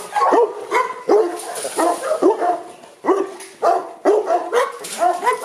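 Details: Deep, rough barking from kennel Boerboels in Accra: about eight barks in five and a half seconds, some doubled in quick pairs, with loose gaps between volleys.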